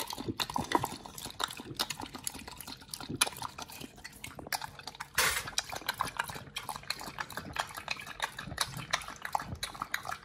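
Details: Raw-fed Pit Bull munching New Zealand mussels and raw meat: irregular moist chomps and slurping licks, with one louder crunching burst midway through.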